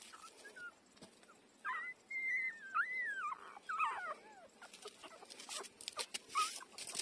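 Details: Newborn puppy, five days old, nursing from its mother; a few thin rising-and-falling squeals and a longer wavering whine in the middle, with rustling and shuffling noises near the end.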